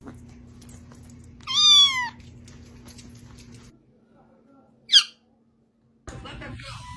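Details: Domestic cat giving one clear harmonic meow that rises then falls, followed a few seconds later by a brief high squeak; low steady hum runs underneath.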